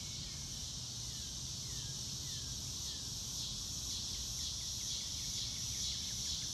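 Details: Crickets trilling on a beautiful blue-sky day, unaccompanied by music: a dense, bright, high-pitched continuous buzz with gentle pulses, a few faint bird chirps beneath, and light low background noise.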